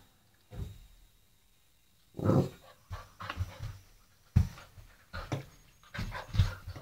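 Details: Eight-week-old Old English Sheepdog puppy at play with a doorstop indoors, giving irregular short huffing pants and low grunting growls in bursts, with sharp knocks in between.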